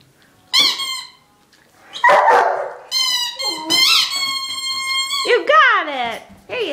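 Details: Six-month-old Great Dane indoors, trying to get a ball out, gives high harmonic whines and yelps, some sliding downward, with a rough bark near two seconds and a man talking and urging it on.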